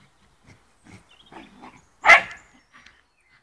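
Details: Fox Terrier at play with a football: quiet panting huffs and low grumbles build up to a single loud, sharp bark, followed by a faint trailing yap.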